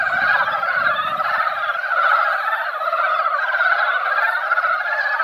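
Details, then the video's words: Mountain frogs gathered at a quiet mountain pond after a light rain that barely wet the ground, singing as they do only at this time each year: a dense, seething chorus of overlapping croaks filling the air without pause. "산개구리 노래"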